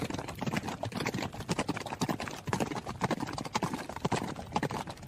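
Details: Hoofbeats of a running horse: crisp, distinct knocks in uneven clusters, about two main beats per second, loud and close, with a little background rustle.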